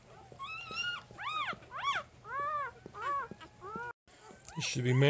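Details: Jig's three-day-old puppy cries in a run of about eight loud arched squeals, each rising then dropping, before a person's voice takes over at the end.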